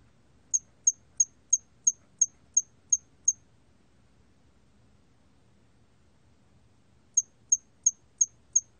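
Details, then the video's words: A 털귀뚜라미 cricket, documented by Korea's National Institute of Biological Resources in 2020, sounds nine bright, piercing chirps about three per second, pauses nearly four seconds, then adds five more; only a soft low hum beneath. "털귀뚜라미, 여러번 듣기, 곤충소리"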